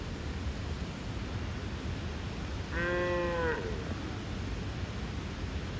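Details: A bull calf calls to his mother in a funny voice that brings the cows running. A single wavering, bleating moo of about one second, rich in harmonics, stands alone against a constant low background hum.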